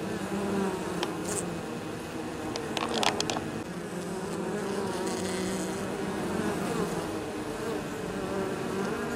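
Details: Honey bees at the hive entrance, bringing in pollen and probably nectar from nearby fields, 23 October in exceptionally mild weather; continuous buzzing drone of many bees, with a few sharp clicks and taps around three seconds.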